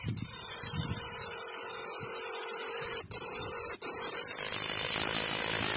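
A giant cicada drones in a loud, steady, high-pitched buzz with two abrupt brief breaks.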